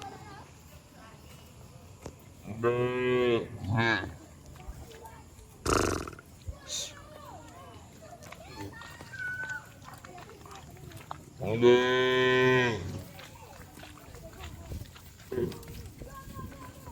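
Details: Cattle driven home to the shed through heavy rain in the countryside give two separate bouts of deep, harmonic moos, one short and doubled and one longer, amid rain, occasional knocks and people talking.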